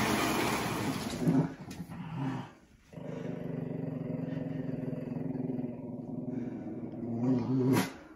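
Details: Winston, a Shih Tzu/Pekingese dog, protesting his bath: low, sustained rumbling growls held over several seconds, broken by a short pause near the middle and rising again at the end over a faint background hiss.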